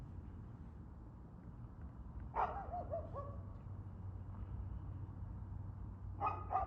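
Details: Dog barking on 2/6/2024 at 6:02pm: two short, harsh barks several seconds apart, each with a brief falling tail, over a steady low rumble of background noise.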